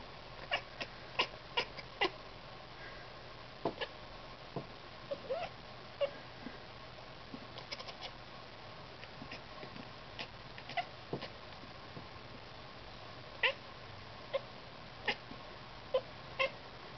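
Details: Ruckus the cat chatters at birds it is watching, making a string of quick dry clicks and tiny chirps that come in uneven bursts and pauses over a low steady background hiss.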